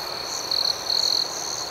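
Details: Night crickets give two short, shrill chirp bursts over a continuous high-pitched ringing background chorus.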